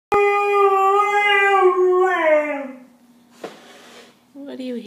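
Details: Badger, a pet dog, howling a little while looking for his friend indoors; a single sustained, slightly wavering howl about two seconds long that slides downward, followed by a quieter low tail and a brief human voice.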